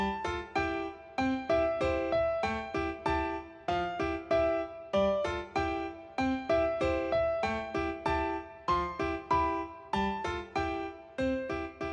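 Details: Bouncy piano tune with evenly struck chords and notes repeating in a light rhythmic pattern, with no animal sound heard.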